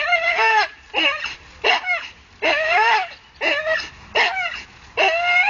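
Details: Staffordshire Bull Terrier hanging from a tree, excitedly going at it: strained, tonal whining cries with wavering pitch, about seven bursts in under six seconds, each separated by brief gaps.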